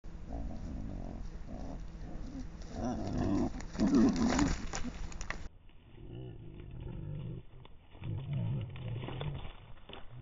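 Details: Wild boar during a mating attempt give deep, rough grunts and low, roaring snorts in uneven bursts.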